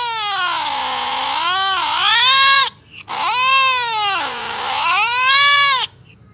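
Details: Cat's reaction to hearing cats fighting: two long mournful yowls, each falling low then swinging back up in pitch, wavering and harmonic, with a brief break between them.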